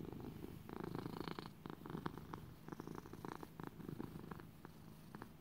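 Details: A content lap cat named Little buddy purrs indoors; deep, grainy rumbling purr in quick repeated pulses, fairly even throughout, nothing else clearly heard.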